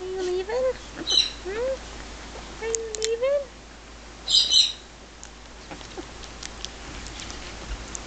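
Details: Two 18-day-old red Shih Tzu puppies, a female and a male, give short rising squeaky whines in a few bursts, with brief high chirps and a person talking softly nearby.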